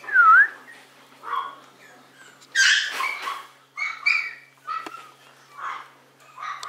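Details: Whimpering Maltese in warm sunshine: a high, dipping squeak opens, then a louder cluster of yelping cries around the middle, followed by several short, nasal whines.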